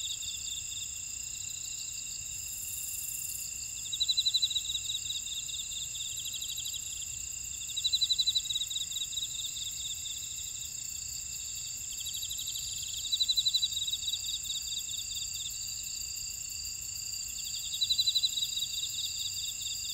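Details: Insects calling at night-free rest in a buckwheat field at Ora-dong, Jeju City, Jeju Island, South Korea: steady high shrill trilling bands, with louder pulsed chirping bursts returning about every five seconds over a constant ringing drone.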